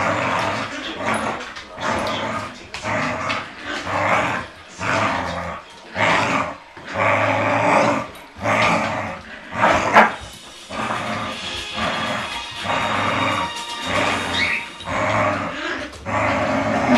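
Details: A Yorkshire Terrier puppy playing with a Border Collie gives short, yappy barks mixed with low growls in quick, uneven bursts.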